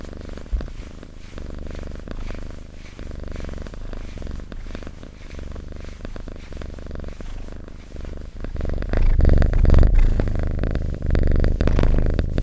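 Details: Domestic cat purr, a low throbbing hum that grows markedly louder and fuller in the last few seconds, its breath cycles coming in even rhythm.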